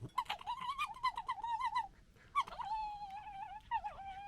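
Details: Squabbling red foxes of a local family gekkering: a rapid run of clicking, stuttered yelps merges into a long wavering whine, then a second sustained quavering cry and a brief final squeal, in quiet surroundings.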